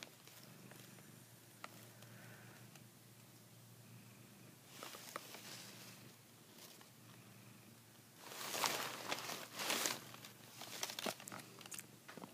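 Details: Savannah cat mouthing a blanket, mistaking it for a female cat's neck; a faint low purr underlies several seconds of calm, then repeated bursts of rustling and shuffling fabric dominate the last third.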